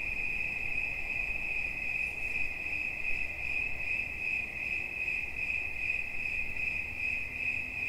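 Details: Cricket chirping steadily in a high, ringing tone, its pulses running together at roughly two and a half per second, with a fainter upper overtone and a low background rumble.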